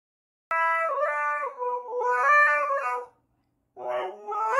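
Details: Husky in a song compilation, giving two wavering, warbling howl phrases separated by a pause, then a third rising howl that starts up at the end.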